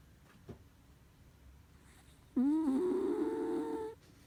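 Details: Dog snoring with one loud, buzzy, humming breath lasting about one and a half seconds, steady in pitch, after a quiet pause with a faint click.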